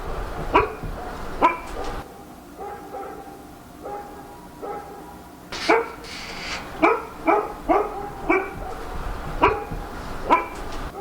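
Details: Night barking from a dog in Korea, with irregular sharp barks throughout, some loud and close and some quieter in between, occasionally doubled or grouped in quick runs over steady low background noise.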